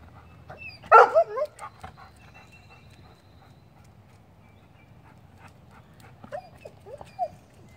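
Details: Lola, a pet dog, excited while playing with a squirrel: one loud, wavering, high whine with a strained quality, a long quiet stretch, then a few short whimpers that rise and fall near the end.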